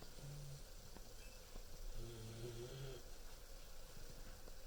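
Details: A 14-week-old German Shepherd puppy asleep, giving one short, deep, rumbling snore with a faint softer breath before it, over a quiet indoor background.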